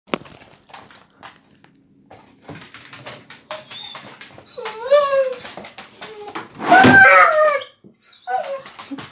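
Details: Border Collie (Canis familiaris), excited whines: excitement at going for a walk.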